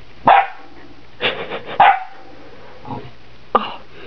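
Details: Saint Bernard x Newfoundland puppy barking while playing with guinea pigs indoors: several short sharp barks and yips spaced irregularly over four seconds, with a person speaking softly in the background.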